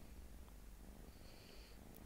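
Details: Low, even purring from a domestic cat, a soft rumbling drone that carries on unbroken through the short stretch, with a faint high tone in the background.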